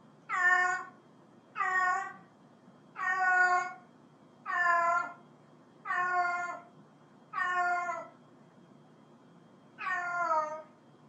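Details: Seven fairly regular meows from a cat, roughly one every one and a half seconds, each a brief downward-sliding wail, with faint room hum underneath.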